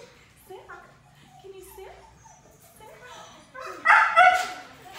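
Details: Five-month-old black female Labrador Retriever in off-leash training amid distractions; a short burst of two or three sharp barks near the end, preceded by quieter mixed sounds and a person talking.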